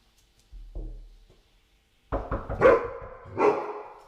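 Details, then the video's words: Pet dog indoors barking at a knock on the door during a training session against door barking. A soft thump comes first, then after a pause a burst of three loud, rough barks, the second sharpest. "and again, I'm going to wait for Inca to stop barking before we give her a reward."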